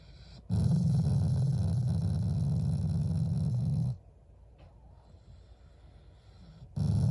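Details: A family-pet Shiba Inu expresses affection, not anger, through growling: a deep, buzzing growl of about three and a half seconds, a quiet gap, then another growl beginning at the end.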